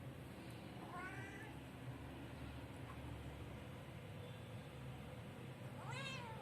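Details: Kitten meowing for food, two short rising-then-falling meows, one early and one near the end, over a steady low hum.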